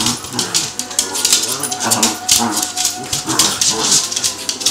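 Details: Pair of Cavalier King Charles Spaniels in playful mock fighting; gravelly, harmonic growls rise and fall in short rumbling phrases about every half second, mixed with sharp snarls and scrabbling noise.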